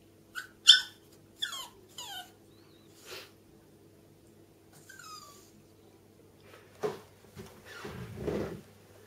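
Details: Three small dogs, Millie, Alfie and Louie, a bichon frise, chihuahua and yorkshire terrier, at the top of the stairs; loud falling whines early, a fainter cry mid-way, then scuffling and rustling noises close by.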